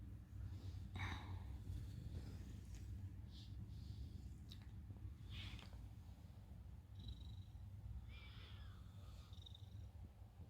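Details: Fifteen-year-old Siamese cat snoring while asleep: a steady low rumbling breath sound running throughout, with a few faint brief higher noises and soft clicks scattered over it.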